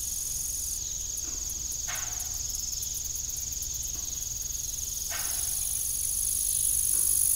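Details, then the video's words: Evening crickets near an old farm windmill keep up a constant high trill, joined early by a rapid series of very high ticks and later a rising shrill tone, with a couple of brief squeaks. "Evening Cricket Sound"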